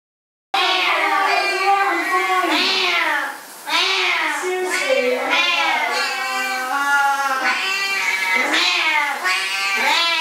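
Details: Two Siamese cats, going berserk while their owner showers, yowl loudly and almost without pause, long wavering meows overlapping one another.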